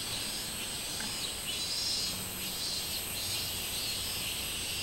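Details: Summer song of the minmin cicada, 24 July 2016: a high, rasping hiss that rises and falls in rhythmic waves about once a second over a faint low hum.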